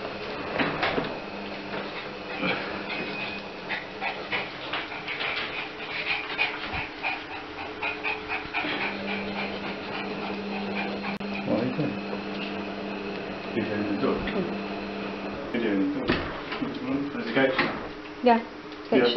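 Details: Yorkshire Terrier indoors while helping with shopping, giving rapid panting breaths and thin, high whimpers that rise and fall, with a louder whining burst near the end; steady low household hum and brief human speech in the background.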